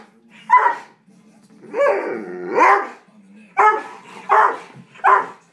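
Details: Dobermanns Zoey and Capone squabbling over a couch: a low rumbling growl runs underneath, broken by a drawn-out rising and falling yowl and four loud, punchy barks spaced about a second apart.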